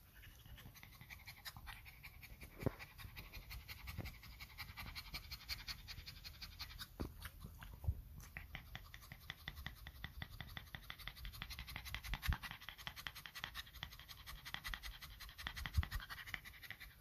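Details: A pug, tired after walking and still getting used to the habit of walks, pants in quick, steady, breathy rasps, several puffs each second.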